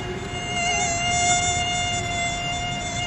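A mosquito's thin, steady whine drones on without a break, high and nasal.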